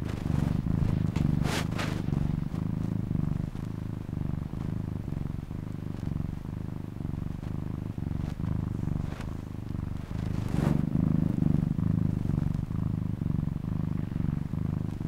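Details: Domestic cat purring steadily, a low rumbling drone with rhythmic pulses of breathing, a couple of brief broadband clicks near the start and middle.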